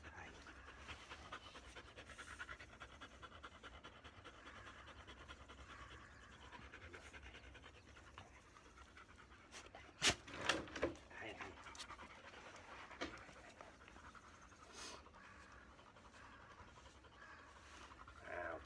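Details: Bee, a black Labrador Retriever, pants during brushing in its moulting season as the undercoat is removed; quick, airy, uneven breaths about twice a second, broken by a few sharp brush strokes and handling noises.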